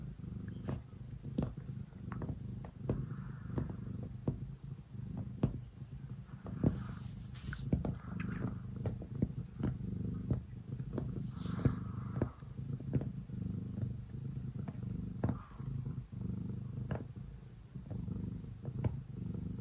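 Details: Ace the cat kneading and purring at bedtime, a strong, low rumbling purr pulsing with each breath, mixed with frequent soft scratching clicks from the kneading paws and a few faint rustles.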